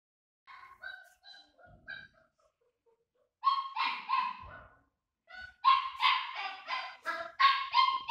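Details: Tibetan Mastiff pups giving high whimpers and yips, first soft and scattered, then louder overlapping squeals and yelps in fast irregular bursts.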